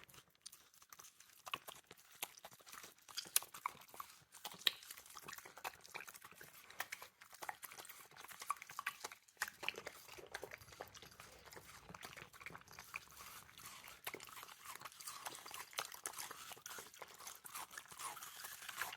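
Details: Two fluffy Maltipoos, Fluffy and Teddy, eat a juicy watermelon slice indoors. Dense, wet crunching bites and chomps come in irregular bursts, close up, with a short pause near the middle.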